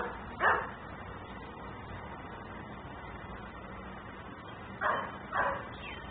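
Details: Dog left outside and barking as a nuisance in Mecklenburg, picked up by a camera; one bark, a long quiet stretch of steady background noise, then two quick barks close together.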